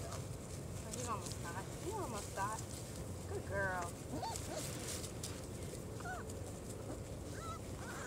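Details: Litter of four-week-old German Shorthaired Pointer puppies on their first trip outside: thin, squeaky whines that bend up and down, several pups overlapping in quick goose-like squeals, with people talking quietly in the background.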